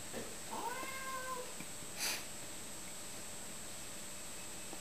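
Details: Domestic cat meow as a male cat meets a female cat indoors: one drawn-out, tonal meow with rich harmonics that slides down and levels off, followed by a sharp broadband scuffing noise, then a steady high electronic whine.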